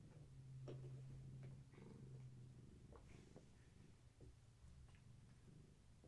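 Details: Indoor evening session with Gaia's kittens, domestic cat litter of a long-haired tabby, during play and leg massages: a steady low purring rumble runs throughout, overlaid with soft rustling and small clicks.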